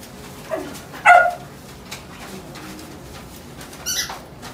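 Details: A red-and-white female corgi, born 2017, lets out a single clear yappy bark after a faint softer one, then a brief high-pitched squeak near the end amid light room noise.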